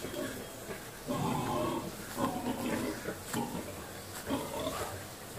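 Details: Wild boar during mating, giving rough, low grunts and snorts in short irregular bursts, with a steady noisy background throughout.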